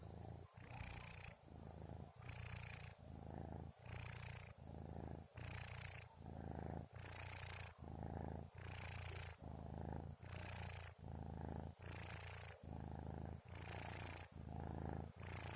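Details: Kitten named Orens asleep around 2:30 at night before sahur, snoring steadily: a low rumbling purr-like drone swelling and easing in even breaths about every 1.7 seconds, each exhale carrying a soft airy hiss.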